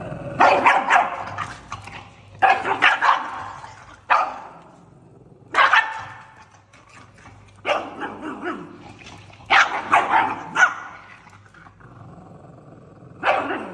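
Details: An angry pug gives a string of sharp, harsh barks in short bursts, separated by brief pauses.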